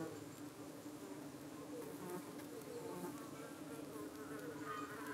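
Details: Evening at a UK beehive: honey bees defend themselves against suspected parasitic flies that try to land on their abdomens. Continuous droning buzz with a firm mid-low tone and faint, brief higher whines from passing insects.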